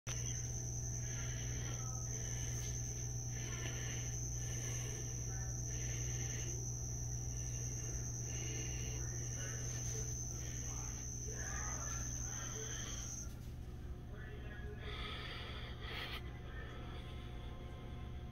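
A cricket gives a steady, high, shrill trill that stops abruptly partway through.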